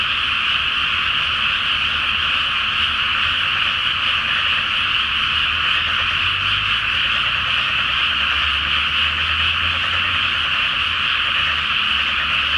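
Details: Frogs calling en masse after dark from a water-filled rice field awaiting planting, full moon overhead: continuous overlapping rattling croaks form an unbroken bright band, with a faint low hum underneath at times.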